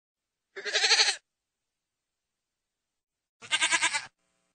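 A goat gives two harsh, quavering bleats, each about half a second long, separated by silence.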